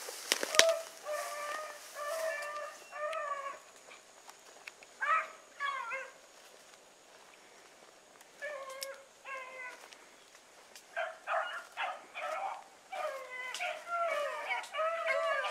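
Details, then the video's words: Bluetick Coonhounds on the run with Sassy, drawn-out harmonic bawls that bend downward, coming in clustered bursts with short pauses between, several hounds calling at once outdoors. "Sassy running with the Blueticks !"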